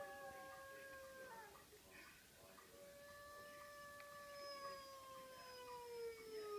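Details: Jada, a household dog, howls in one long sustained tone that slowly sinks in pitch after an earlier shorter howl. The voice is smooth and rich in overtones, and no other clear sounds are heard.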